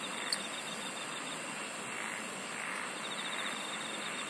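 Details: Massed insect song, steady and shimmering: high pulsed bursts about every one and a half seconds over a dense constant trill, with a brief click early on.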